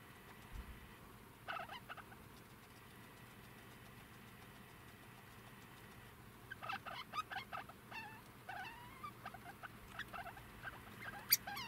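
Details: Two-month-old young degu giving short, sharp chirps and squeaks, sparse early on, then a quick irregular burst of rising and falling notes from about six and a half seconds, over a steady faint electrical whine and low hum.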